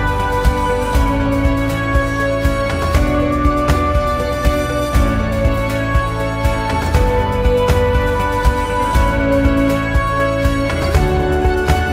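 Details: Steady, sad-toned background music with sustained chords and a regular pulse throughout, with no animal voices.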